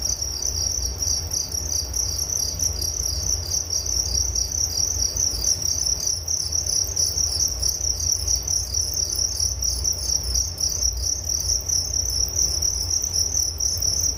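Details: Crickets chirping steadily in a nature recording, a bright high-pitched band of rapid pulses running without pause over a low constant rumble.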